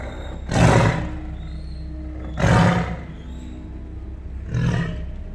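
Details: Tiger giving its territorial roar, which can be heard up to 2 miles away: three powerful, gravelly roars spaced roughly two seconds apart, deep and throaty, the last a little weaker.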